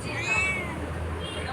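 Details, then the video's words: A pet cat gives a short arched meow that rises and falls within half a second while the owner chats with it, over background music and room noise. "talkings with cat 😺"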